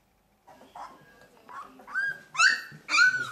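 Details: Two-week-old puppies from a litter of thirteen: soft whines building into several louder, high, rising yelps and squeals, about one every half second toward the end.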